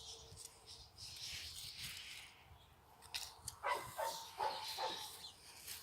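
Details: Chocolate Labrador Retriever puppies giving a short run of high, sharp yips in the second half, following a stretch of faint, noisy background.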